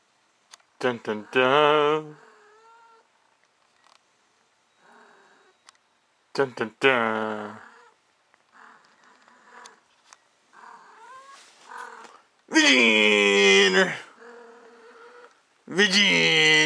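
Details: Lucy, a female cat in heat, gives loud, drawn-out yowls in bursts between quiet stretches indoors. Several calls are long and strained and end abruptly.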